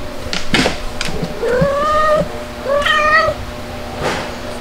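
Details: Outdoor calico mother cat returning home to nurse her kitten, filmed 23 June 2022 at 5:57 PM: two drawn-out, rising meows about a second apart, with soft thumps and rustling around them.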